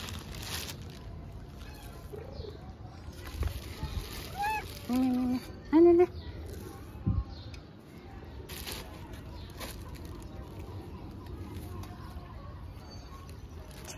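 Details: Stray cats being fed on the street give a short run of arched, tonal meows near the middle, each rising then falling in pitch, over a steady low background hum with brief knocks and handling noises.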